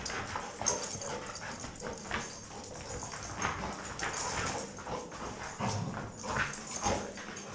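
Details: Two dogs, Toby and Knut, left alone in a lab room at Mount Royal University, playing together: a rough run of short broadband huffs, scuffles and yelping bursts, irregular and overlapping, with a steady high hiss behind.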